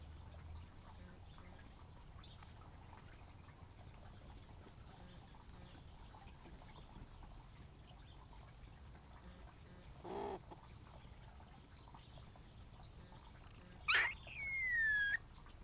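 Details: Live-trapped squirrel caught eating a hole in a storage shed roof, held before release in a nature reserve, gives one strange high whistle that jumps up sharply, then slides down and levels off, after a long quiet stretch broken by a soft thump.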